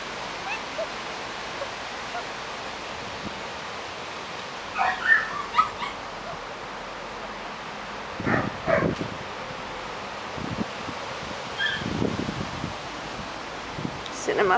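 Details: A litter of German Shepherd puppies, five and a half weeks old, in a garden: short high whimpers and yips come in scattered bursts of one or two over steady outdoor background hiss.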